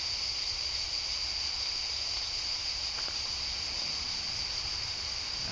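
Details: Thousands to millions of cicadas in the Landes, France, heard on a 2010 pilgrimage trek, form a dense, unbroken chorus, a steady high-pitched buzzing hiss.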